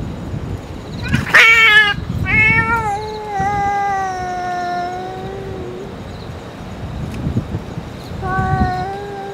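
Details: Stray cat crying out after a surprise attack by a boss cat, recorded on an EOS R5 camera: a sharp harsh yowl, then a long drawn-out harmonic wail that slowly sinks in pitch, and another wail near the end, over low outdoor rumble.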